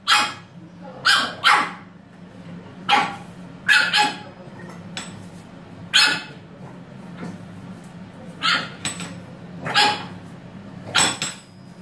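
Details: A French Bulldog gives short, sharp barks in irregular bursts, roughly every second or two, apparently protesting that it was in the bathroom first.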